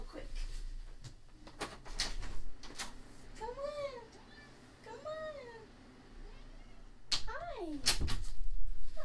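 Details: A female domestic cat cries at the door with several drawn-out, rising-then-falling meows, wanting to be let in.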